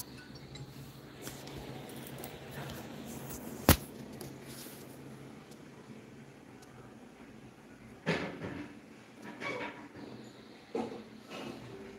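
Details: Quiet indoor room tone with a sharp clink, cupboard and dish clatter, and faint speech; no animal sounds.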